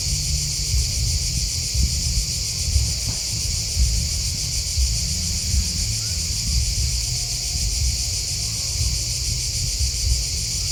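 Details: A steady chorus of chirping crickets, high and rapidly pulsed, continuing without pause, above a constant deep wind-like rumble.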